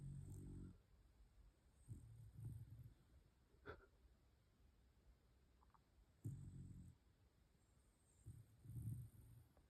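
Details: Pembroke Welsh Corgi asleep and snoring softly: low, rasping snores in short bursts every two to three seconds, with quiet breaths between them and a faint high hiss in the background.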